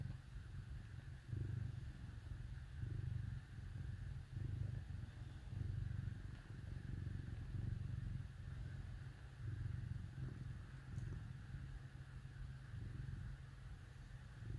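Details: Cats curled up with dogs on a cold winter day give a continuous deep purr, rising and falling in soft regular pulses throughout, with a steady low background hum.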